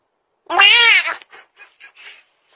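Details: A domestic cat meows toward the camera indoors: one loud, drawn-out harmonic meow lasting about three quarters of a second, arching slightly in pitch, followed by several soft, short chirping murmurs.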